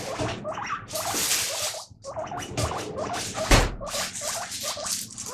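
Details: Domestic guinea pig calling "pui pui" during dishwashing: bursts of short squeaky notes half-buried under splashing, hissing water and loud clattering of plates and cutlery.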